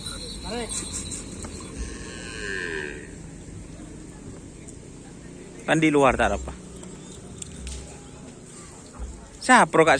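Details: Karapan sapi racing cattle of the Dor To Dor Ekspres team training at the Asemanis field, Pamekasan; two short, harmonic lowing calls near six and ten seconds rise over steady background music and crowd noise.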